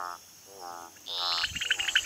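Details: Rococo toad males, slightly smaller than females, give repeated rough pulsed blasts audible over 2 km away, warning rival males and attracting breeding females; higher rapid chirping from other nearby callers rises behind.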